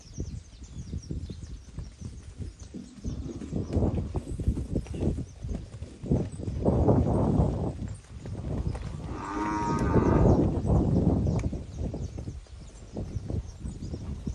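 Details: Eight-month-old Nelore and industrial-crossbred calves in the Jales region of São Paulo, Brazil; muffled low lowing builds into one long, swelling harmonic moo near the middle, over shuffling, thumping herd noise.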